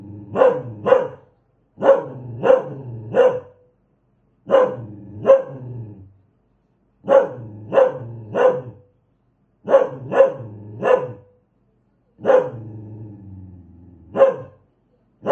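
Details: Angry dog barking steadily, around sixteen loud barks in clusters of two or three with brief silences, one bark trailing into a lower rasping tail; no background noise.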